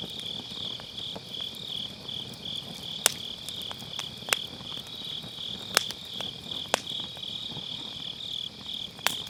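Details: Steady high-pitched shimmer of grass insects on an autumn night, recorded with an MKE600 microphone using low cut beside a round brazier fire; a few loud, isolated wood snaps stand out over soft crackling.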